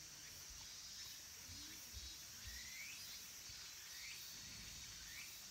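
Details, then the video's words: Late-summer cicada chorus at Kabusanji, a Tendai temple in the mountains of Takatsuki City, Japan: a dense shrill buzzing band, overlaid by short rising chirps about once a second and low rustling. "Cicadas' voice"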